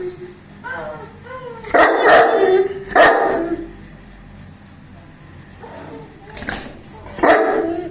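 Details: Playful barking from Bruno, a 21-month-old pet Saint Bernard, recorded 19 September 2019: short whining yips lead into two loud, broad barks, followed by quieter gaps and two more sharp barks.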